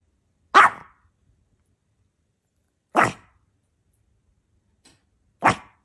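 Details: A puppy gives three short, sharp barks spaced a couple of seconds apart.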